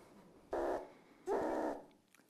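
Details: A meerkat gives two harsh, noisy alarm barks, the second longer, against a quiet indoor background; the alarm call structure signals an aerial predator such as an eagle, changing as the predator approaches from 500 m–1 km away.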